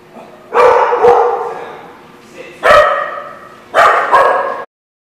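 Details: Dog barking: three loud bursts about a second apart, each a quick double bark, harsh and harmonic, with quiet between them.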